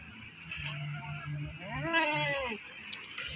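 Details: A goat at the Pakis animal market in Malang lets out a single quavering bleat that rises and then falls over about a second. Market voices and a constant low hum run underneath.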